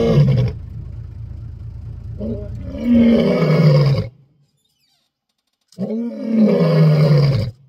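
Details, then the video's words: Wild lion roaring on safari in Africa; deep, rumbling roars in two bouts: a long one of about four seconds, a silence, then a second two-second bout, with faint voices in the background. "Roaring lion on Safari"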